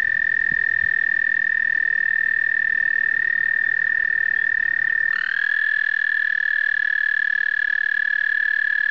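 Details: Singing American toads at a spring breeding site during migration: a long, unbroken, high, even trill runs throughout, and a second toad's trill slides in at a slightly different pitch about halfway, overlapping the first.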